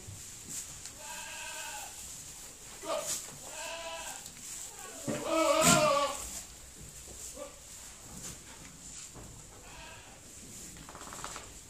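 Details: Pedigree dairy goats resting in their goatshed in October, giving a series of short, wavering bleats from several points, with one louder, rougher call in the middle, plus soft shuffling and knocks in the barn.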